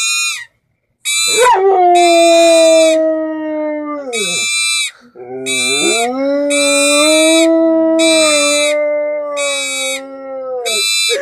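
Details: A pit bull howls along to a toy trumpet in two long, wavering, drawn-out notes while bright, brassy toy-horn blasts sound repeatedly.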